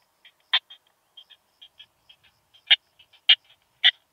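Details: Curve-tailed plump bush-cricket from Hohenbrugg an der Raab, Austria, recorded 4 June 2021, giving irregular soft ticks punctuated by four loud, crisp clicks spaced roughly half a second apart.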